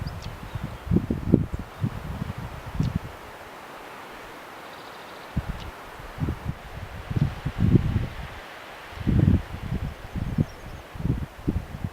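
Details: Only low, irregular bursts of wind buffeting and rustling are heard, with no clear animal calls.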